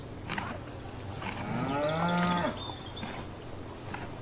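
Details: A cow grazing in a field gives one short, tonal moo that swells and fades in under a second, over a low rural background with faint birdsong.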